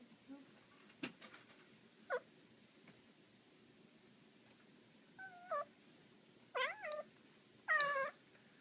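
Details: Black female domestic cat making cute, funny sounds while playing with a laser indoors: short harmonic chirps and trilling meows, some wavering up and down, in scattered bursts that grow longer and louder toward the end, over quiet room hiss.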